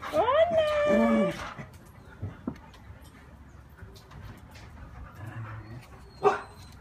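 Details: A neighbour's dog visiting and wanting to come and play gives a rising then falling whine lasting over a second, with a short yelp near the end; Spanish speech and household sounds in between.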